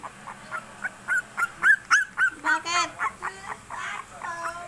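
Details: Twenty-three-day-old princess-type Shih Tzu puppy in its third week yelps in a fast run of short, high squeals, about four per second. A lower droning tone and faint voices follow near the end.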